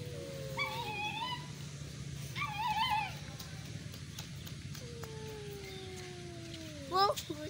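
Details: Cats in a duel give long, drawn-out tonal yowls, steady then slowly falling, alternating with short wavering wails, over a constant low hum.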